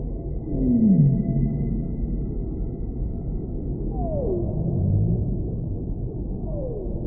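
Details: Singing humpback whale heard underwater: a strong descending moan, then two fainter downward glides a few seconds apart, over continuous low rumbling sea noise and a thin steady hum.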